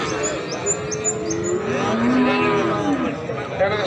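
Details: Cattle at a livestock market in Pati, recorded 7 April 2020: drawn-out, low, slightly falling moos rich in harmonics, two calls overlapping, amid steady market chatter and crowd noise.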